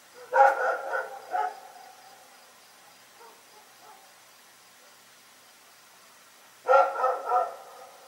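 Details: Rex, a dog, barking in the night in a fast volley of four barks, quiet with faint noises for several seconds, then three more rapid barks.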